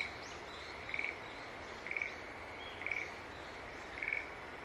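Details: Steady series of short, bright pulsed notes from a green tree frog, one roughly every second, over a constant background hiss.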